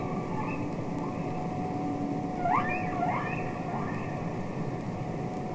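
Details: Underwater humpback whale singing, Capitol Records ST-620: a few faint rising sweeps clustered near the middle, each sliding upward quickly, set against a constant droning tone and background water noise.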